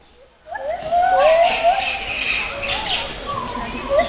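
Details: White-handed gibbons at Schönbrunn Zoo, Vienna, in June 2011 sing clear, hooting notes that swoop up and down, over a murmur of voices.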